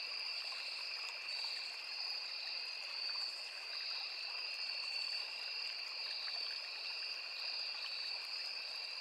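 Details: Steady cricket chorus from a forest along a small river, a dense high ringing trill on two level pitches, gently pulsing in volume, with the constant murmur of running water underneath.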